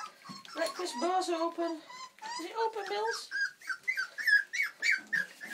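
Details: Millie's four-week-old Old English Sheepdog puppies whining: drawn-out wavering cries in the first seconds, then a string of short, sharp, high yelps rising in pitch, with a human voice faintly mixed in.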